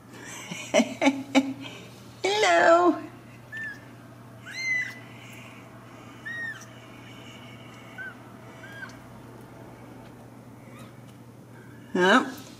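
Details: Ragdoll kittens in a central Kansas home cattery give several thin, high, arched mews between bursts of a woman's speech, with a low hum throughout.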